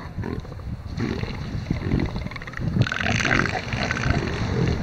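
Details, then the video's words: Male elephant seals competing and fighting over a harem on the beach at Sea Lion Island in the Falklands; heavy low growling roars with deep throaty pulses, intensifying into a louder rasping bellow halfway through, amid constant beach noise. "ELEPHANT SEALS FIGHT"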